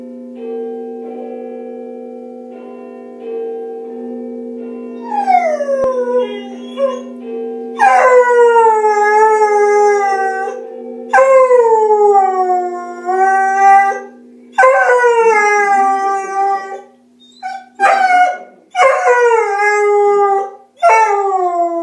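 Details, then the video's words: Hugo the beagle howls along to the Big Ben chimes on BBC Radio 4's Six O'Clock News at home, a daily sing-song; steady low chimes, then long sliding howls starting about five seconds in, several rising then falling, with short breaks. "Hugo the beagle singing to Big Ben chimes on BBC Six O'Clock News on Radio 4"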